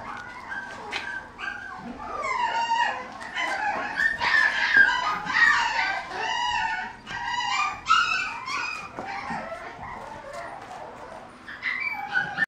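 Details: Male mixed-breed puppy whining almost without pause: strings of high, quavering, rising and falling whimpers, a few near-howls and sharp yelps. The cries come in quick runs across the whole stretch.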